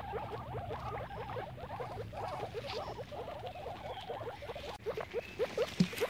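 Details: Guinea pigs at play in grass: quick, low, hooked chirping notes tumble out about two or three per second, then thin into a few separate louder squeaks with faint rustling.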